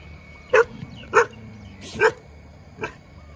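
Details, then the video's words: Dog in a good mood, wagging its tail: four short sharp barks spaced irregularly, about half a second to a second apart, over a steady low background hum. "หมาเห่าหมาน่ารัก หมาเห่ากระดิกหางหมาอารมณ์ดี"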